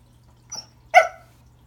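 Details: Remington the Pembroke Welsh Corgi tries to say hello to a new toy under the Christmas tree: a soft brief whimper-like yip, then a single loud, abrupt bark in a quiet room.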